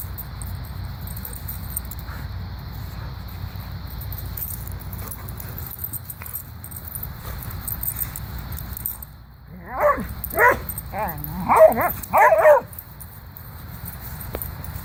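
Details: Pet dogs having a good time wrestling and running together; after a stretch of low rumbling noise, a tight cluster of harsh, harmonic barks and growly yelps bursts out over about three seconds, then the rumble returns.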